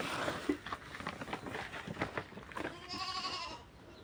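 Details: Grazing goats, herded onto unplanted land next to a cultivated field: after a stretch of rustling and scattered clicks, a single trembling, nasal bleat rings out near the end, steady in pitch and about half a second long.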